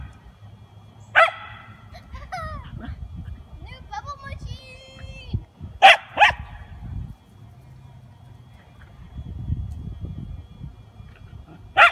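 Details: Miniature poodle playing with bubbles gives four sharp, short barks, two of them in quick succession near the middle, with higher wavering whine-like voice sounds between them over a low background murmur.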